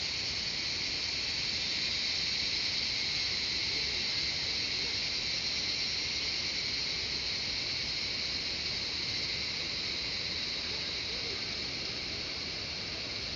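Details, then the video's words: A jungle cicada chorus in Shivapuri Nagarjun National Park, on the outskirts of Kathmandu, Nepal, forms an unbroken shrill hiss-like buzz that barely wavers in loudness across the whole stretch, with no other clear sounds. "Cicadas singing the jungle of Shivapuri Nagarjun National Park, surrounding of Kathmandu City Nepal"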